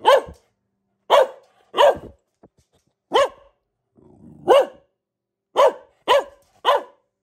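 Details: A female Boxer dog gives loud, deep single barks, spaced irregularly about a second apart.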